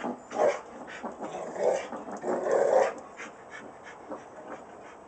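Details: Three short, throaty Rottweiler moans, the last one longest and most tonal, then fading to soft grumbles.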